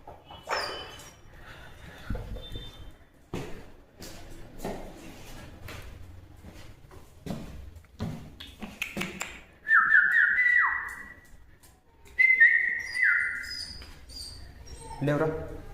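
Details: Mother street dog whining after losing her puppies, rescued from a vacated house where she was trapped behind a locked gate, now searching for them; two drawn-out, stepped falling whines amid clicks, taps and knocking sounds.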